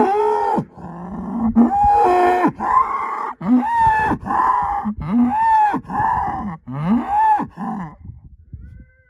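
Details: Angus herd sire bull, son of SAV Harvestor 0338, born spring 2018, bellowing in a run of short, rough moos with rising and falling tones, several a few seconds apart, then fading into quieter grunts at the end.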